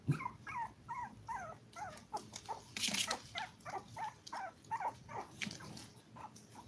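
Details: A litter of seven toy poodle puppies at five weeks old: a run of rapid, wavering whimpers and squeals, rising and falling, repeated roughly every third of a second, with a brief rustling burst in the middle.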